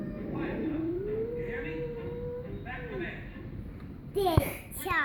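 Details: Sadie, a dog, gives a long howl that slides upward from a low pitch and holds a steady, wavering tone before dropping away, followed by a few sharp, clattering sounds at the close.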